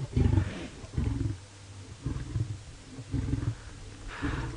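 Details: An Nkuhuma lioness, feeding, gives deep rumbling growls in bursts to warn off a sniffing male lion, rejecting mating, on a sunset safari drive on 26 August 2017.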